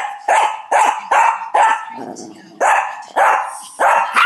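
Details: Young Shih Tzu bossing other dogs in a 2011 home recording, barking without stopping: seven punchy barks roughly every half second, broken by a short low growl near the middle.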